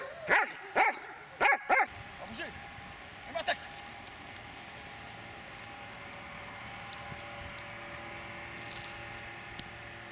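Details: Dobermann Magmar von der Burgstätte, aged 8 years 6 months, gives four sharp, loud barks in quick succession over the first two seconds, then a couple of softer sounds follow before a quiet stretch with faint background noise.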